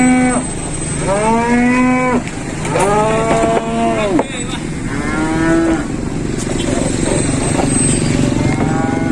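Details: Jumbo-sized cattle arriving by modified truck near Klaten, Indonesia, nine head: four loud, drawn-out harmonic moos, each about a second or more, arching in pitch, with engine drone and a steady high whine behind.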